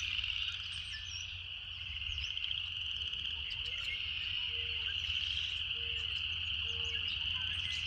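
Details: Cicada singing in nature: a constant high, rapidly pulsed buzz fills the whole stretch, while a series of short low whistled notes repeats every second or so in the background, with occasional faint chirps above.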